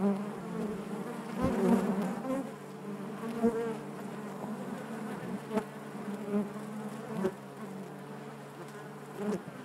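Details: Hive of honey bees droning continuously, a layered low hum with faint clicks and ticks scattered through, the buzz swelling loudest early then easing to an even murmur.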